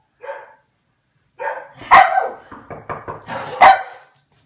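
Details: Hungarian Komondor barking: a short yelp, then a run of loud, harsh barks with stuttering grunts between them, ending with a final sharp bark.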